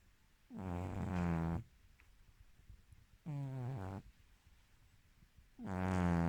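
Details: A Silver Spotted British Shorthair cat (Felis catus), female, snores loudly, with rough, throaty rasps about every two and a half seconds.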